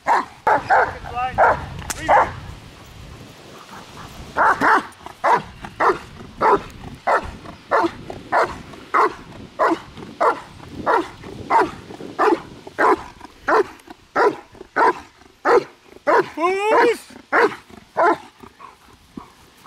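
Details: German Shepherd in protection training, barking under control in steady repeated loud barks, roughly one and a half per second, with brief spoken commands in Dutch between and at the start.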